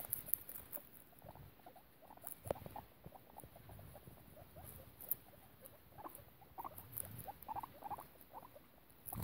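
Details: Piggie Minaj the guinea pig and her babies, in foster care: soft squeaky notes in loose clusters, somewhat fainter, with occasional snort-like bursts and scattered rustling.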